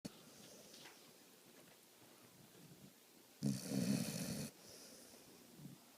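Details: Female pet dog fast asleep indoors, giving one loud rasping snore of about a second amid quiet room noise and soft breathing.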